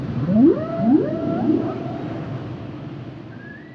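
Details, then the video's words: Humpback whale song, 1970 recording: three quick upswept whoops about half a second apart, each sliding up into a held tone, then fading moans and a faint high rising whistle at the end. "Songs Of The Humpback Whale"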